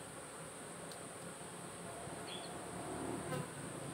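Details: Honey bees in a farmed hive fitted with the SAMS colony-health monitor; a soft, steady low drone with a few faint brief higher buzzes of individual bees passing near the end.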